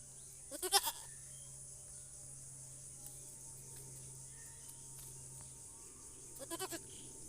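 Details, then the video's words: Goat calling with two short, pulsed, harmonic bleats, one near the start and another about six seconds later, separated by a quiet stretch with steady background hiss and a low hum. "Funny goat sound"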